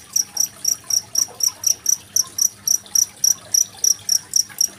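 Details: A cricket (jangkrik genggong) chirps steadily, giving high-pitched pulses about four times a second over gently gurgling water. The recording is used as a master track for training songbirds.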